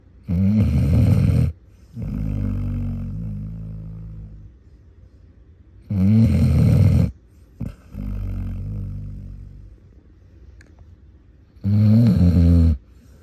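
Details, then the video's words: Basset hound asleep, snoring loudly and harshly: rough, low rattling inhales alternating with softer exhales, three strong snore cycles roughly every six seconds with quiet pauses between. "One Minute of Aggressive Basset Hound Snoring"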